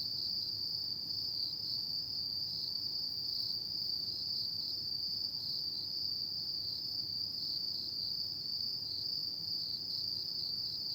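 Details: Unbroken high trilling from autumn insects after dark, a dense even buzz-like ring that never stops, with a faint higher overtone and low ambient rumble.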